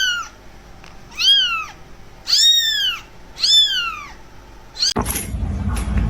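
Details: Kitten mewing four times about once a second, thin and high with a falling tail, followed by a burst of handling noise.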